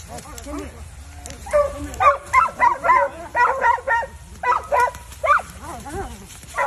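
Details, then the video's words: Dogs at an outdoor field trial in North Carolina, having caught a coyote, bark in a steady run of loud, sharp, harmonic barks about twice a second, several voices overlapping, while human speech continues in the background. "dogs caught a bug coyote!"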